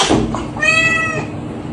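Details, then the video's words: Kitten meowing indoors: a single drawn-out, tonal meow of about half a second, steady then fading, over a dense background hum. "kitten meowing"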